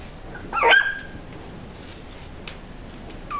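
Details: A single loud, sharp yelp comes from a young border collie puppy, recorded sometime between its first day and two months of age. It is followed by quiet, then a faint second cry at the very end.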